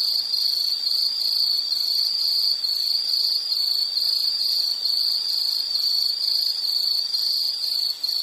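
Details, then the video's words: Insect chorus: a steady, dense, high-pitched trill held without a break, with faint shimmering overtones above it and no other clear sounds. "Sound · Nature Sound of nature sounds scenery L · insect"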